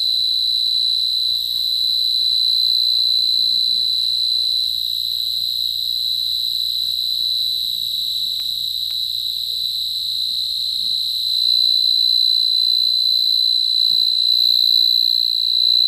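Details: Cricket trilling nonstop in a bright, piercing, steady tone that swells slightly in loudness near the end, with a quiet background.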